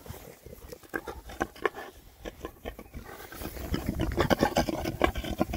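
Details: Six rare breed Oxford Sandy and Black pigs, all boys, foraging outdoors in winter between storms; rapid irregular snuffling grunts and oinks, many overlapping, with rooting noises, growing busier and louder after the third second.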